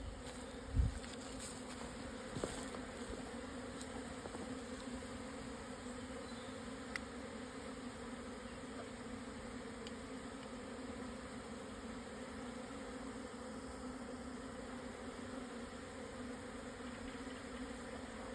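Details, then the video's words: A swarming colony of Japanese honey bees relocating on a June 2024 midday in the highland south of the Yatsugatake range, Yamanashi, Japan; a dense, even humming drone lasts the whole stretch, with a few brief knocks near the start. "【日本ミツバチ】 のお引越し〜◆ 分蜂 に出会えました♪"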